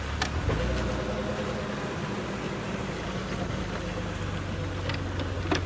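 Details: A vehicle engine rumbles steadily at a low pitch, with a few faint clicks and knocks and no animal voices.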